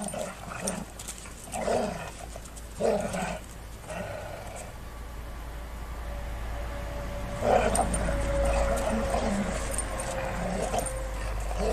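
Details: Two Golden Retrievers at play: a few throaty growls early on, then a thin drawn-out whine over steady low background rumble.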